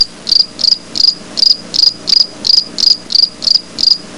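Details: Grasshopper calling in a natural setting; high, sharp chirps repeated steadily about two and a half times per second, each a brief buzzy pulse, over a faint low background hum.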